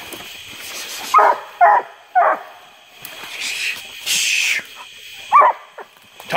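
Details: Treeing Walker Coonhound treeing in a swamp near Porter Bayou, Indianola, Mississippi, July 12, 2016; three sharp barks, then splashing, wading noises, and one more bark near the end.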